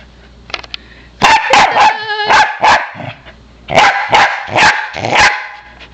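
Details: Pembroke Welsh Corgi named Palette barking while playing frisbee: a burst of four sharp, harmonic barks, a pause, then four more in quick succession, with faint clicks before and a person speaking softly.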